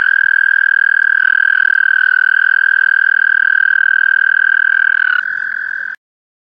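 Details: A male American toad calling in Lindsay, Ontario, gives a long, steady, high musical trill that holds one pitch for several seconds.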